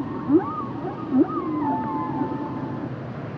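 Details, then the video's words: Humpback whale song fragment: two quick upward yelps followed by a long, slightly falling whistled tone over a murky underwater background. "Sounds and Songs Of The Humpback Whales"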